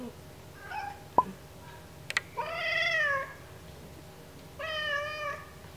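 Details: Oreo the pet cat protests having her ears cleaned, something she dislikes: a faint brief whine, then a drawn-out harmonic whine that dips slightly, and a second steady whine after a pause, with small handling clicks between.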